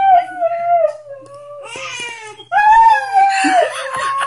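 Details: Indoors next to a baby girl's bassinet, the husky Diesel gives a long sliding howl that slowly sinks in pitch, then a louder rising wail over the infant's sobbing.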